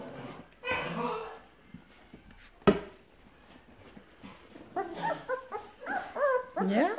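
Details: Grand Basset Griffon Vendéen puppies of the O-litter, dated 30 November 2015, hungry; after a woman's Dutch speech and a sharp knock, high wavering whines and whimpers rise and fall in quick overlapping bursts near the end.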